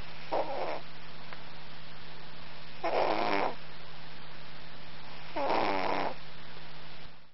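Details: Cat asleep and snoring, producing three buzzy, rattling snores at intervals of roughly two and a half seconds, with a faint steady hum in the background.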